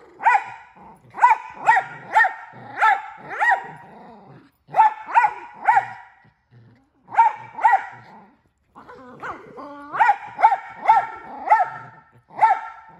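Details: A male miniature Australian Shepherd that barks and talks all the time lets out bursts of three to five sharp barks separated by short pauses, with a brief whining, talking note midway.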